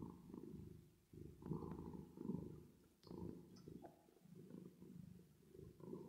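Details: A resting, sleepy cat purrs under a reverb effect, a deep continuous rumble rising and falling in uneven waves of roughly one to two seconds, with a faint higher hum riding on top.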